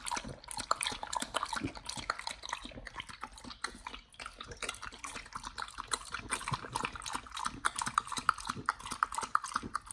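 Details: Raw whole Thai duck being eaten by a Pit Bull, nomyen, for the first time: steady rhythmic crunching with many quick bites, moist gnawing and occasional louder cracks of bone.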